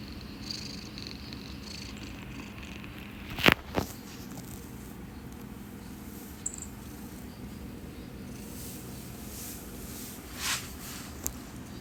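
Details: Domestic cat purring while grooming and sneezing; a steady low rumbling purr runs throughout, broken by a sharp sneeze and a few licking or rustling sounds.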